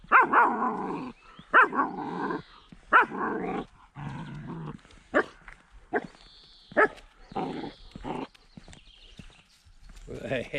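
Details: A 10-week-old female German Shepherd puppy, acting as a little guard dog, gives harsh, high barks in bursts, with rough growling between them.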